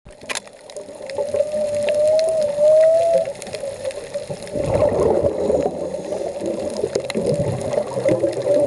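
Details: Humpback whale song off Puerto Vallarta, heard underwater while diving: a long, steady, mid-pitched moaning tone that wavers up and down, later masked by bubbly rushing water noise.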